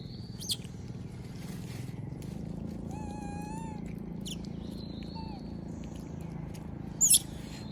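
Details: Moby the monkey begging for food as other monkeys eat peanuts: one sustained, slightly wavering whimper with bright overtones, then a brief, falling squeak. Sharp clicks or knocks and faint high whistles punctuate the quiet background.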